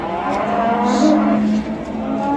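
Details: Simmental heifer bought at a livestock market, lowing while being loaded onto a truck to be taken home: a steady, drawn-out low moo with layered harmonics, over background noise.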